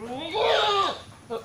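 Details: Goat coming into heat, tied to signs of heat and mating on a Bangladeshi farm: one loud, quavering bleat that rises, holds and falls over about a second, then a brief fainter bleat after a short pause.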